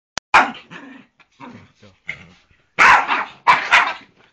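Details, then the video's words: Poodle attacking a man: a sharp opening bark, then scattered quieter yaps, ending with two loud, harsh bursts of barking close together. "Dad gets attacked by poodle!"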